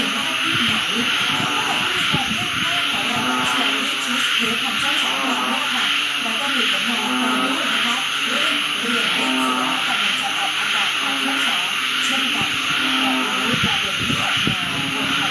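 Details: Frogs calling in chorus at home in Uttaradit, Thailand, after the first rain of the rainy season begins, heard at night for the first time in over six months; overlapping droning croaks with steady hiss and intermittent low thumps.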